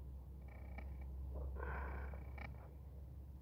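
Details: Pet cat living indoors with its family, giving a deep, droning purr that pulses gently with its breathing, overlaid by a few brief higher squeaky sounds midway.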